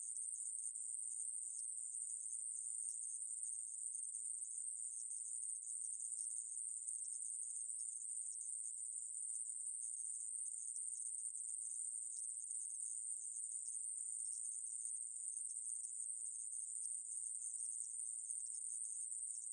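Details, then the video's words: Conehead katydid (애매부리) recorded by the National Institute of Biological Resources, Korea, 2020: an unbroken, high-pitched, hissing buzz held steady throughout, with no other sounds. "애매부리, 여러번 듣기, 곤충소리"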